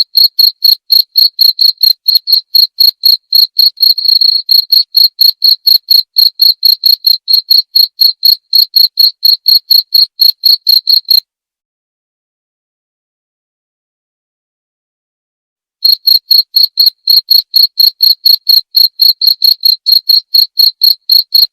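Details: Persistent cricket chirps, short piercing pulses at about four a second, run for eleven seconds. Complete silence follows for about four seconds, then the same rhythm starts again. No background noise.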